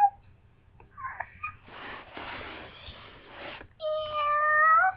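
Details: Domestic cat in heat calling indoors: after human voices and noisy murmuring, a drawn-out, tonal meow rises and wavers for about a second at the end.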